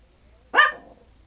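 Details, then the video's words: Five-pound 12-year-old male Yorkshire Terrier, coaxed by family to sing, lets out one brief high bark, abrupt and clipped, with quiet before and after and a voice repeating the request. "Yes My Dog Can SIng !"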